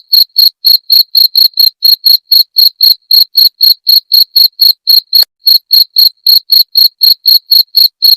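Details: Cricket, offered as a sound for driving away rats: loud, regular high chirps about four per second, each a short buzzy pulse with a bright overtone above, running steadily with one brief gap and a faint click midway.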